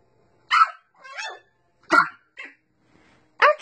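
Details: French Bulldog puppies "talking" to their owners with squeals, howls and odd little noises: short yelping and whining bursts, some rising and falling, repeated about four times over a few seconds.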